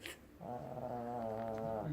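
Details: Shih Tzu. A Shih Tzu gives a sustained snore, a steady buzzy drone held for about a second and a half. The tone stays low and even before fading at the end of the breath.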